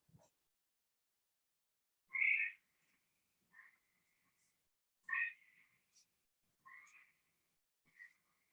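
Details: Gray treefrog played back in an Ohio frogs herpetology lecture, its call more sustained and higher than another treefrog's, a warble rather than a squawk: short trilled notes near mid-high pitch, spaced about every one and a half seconds, in quiet.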